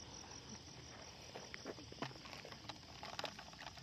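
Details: Many crickets calling together, a steady, unbroken high-pitched trill running through the whole stretch, with scattered soft clicks and rustling nearby.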